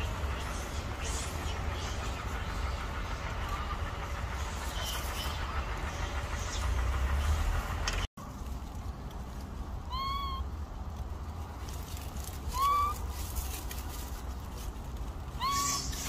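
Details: Injured baby macaque with no mother, bullied by others. After eight seconds of rumbling background, three arched, whistle-like harmonic cries come at roughly two-to-three-second intervals, the last two louder, with faint rustling throughout.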